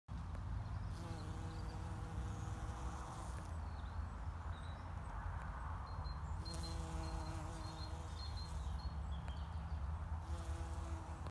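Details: A bumblebee feeding on apple blossom in an apple orchard in Kent gives a deep, humming buzz in bursts of a few seconds over a constant low rumble, with faint high chirps in the distance.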